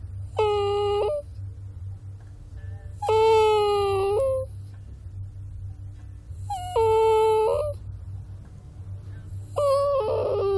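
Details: Puppy whining in four drawn-out, level-pitched cries, each lasting about a second with pauses of two seconds or more between them, over a constant low background hum.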